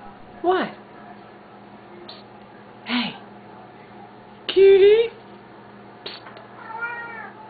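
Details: Pet Siamese cats vocal at feeding time indoors: short yowls and one louder rising meow near the middle, separated by quiet gaps, with steady low hum in the room.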